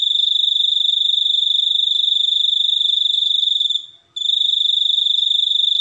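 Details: Cricket producing a continuous shrill trill of fast, even pulses, fading into a brief gap just after four seconds and then resuming at full strength.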